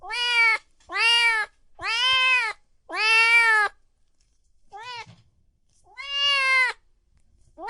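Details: Loud meowing from domestic cats and kittens: a rapid series of six clear, tonal meows, mostly under a second each and spaced irregularly, with one shorter, softer call near the middle and otherwise near-silence.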